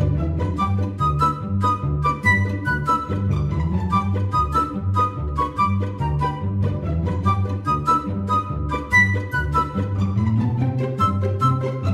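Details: Orchestral music fills the whole stretch, with flute and bowed strings over a repeating low bass line, and no animal sound heard.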